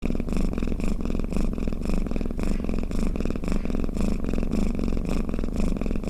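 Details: Snoring cat: a steady low rumbling purr made of fine rapid pulses, swelling and easing in soft breathing cycles nearly twice a second, with no other sounds.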